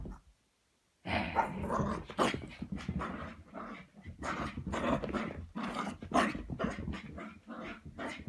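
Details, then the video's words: Frapping 3.5-month-old Cavapoo puppy Scarlett, a Cavalier King Charles spaniel and toy poodle cross, racing around after a foot wash; after a second of silence, loud continuous gravelly growls and snorting huffs in quick irregular bursts, indoors. "3.5 Month Old "Scarlett" Puppy Frapping"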